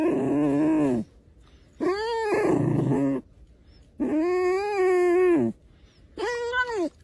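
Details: Red fox (Vulpes vulpes), whining calls.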